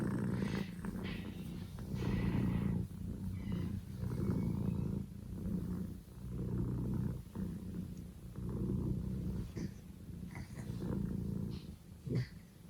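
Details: Male Scottish Fold kitten Poko J, born 15 October 2019, purring at full blast: a steady low vibrating rumble that swells and dips with each breath, cycles lasting about two seconds, with soft rustling near the end.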